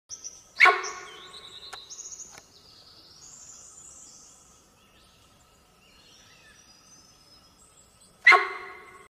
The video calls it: sambar deer call